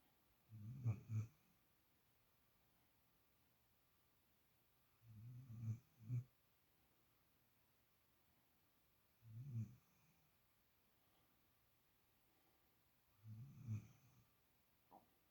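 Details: Spoiled young dog sleeping soundly in another dog's spot snores rhythmically: four low, rasping snores, some with a double catch, repeating about every four seconds against a quiet indoor background.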